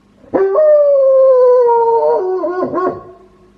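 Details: A house-kept wolfdog delivers one sustained howl, sliding slowly downward in pitch, then breaking into wobbly, yodel-like cracks before fading.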